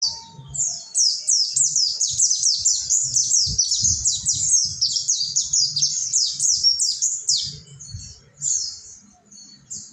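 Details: Mountain white-eye singing in the ombyokan style, used as training material for caged birds; a fast, very high run of thin descending slurred notes, about four a second, with faint low knocks in the background.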